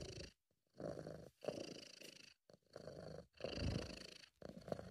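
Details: British Shorthair cat purring contentedly at close range, strong rumbling purr in roughly one-second phrases broken by brief pauses for breath.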